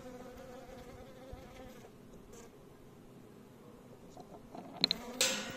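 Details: Faint, even hum of bees in the background for most of the stretch, ending with sharp clicks and a burst of hissing noise.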